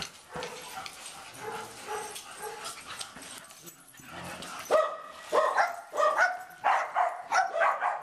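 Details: Dogs Barnaby and Riley Jones at play, giving a run of high, yappy barks and whines, starting softer and becoming louder, sharper barks repeated roughly twice a second.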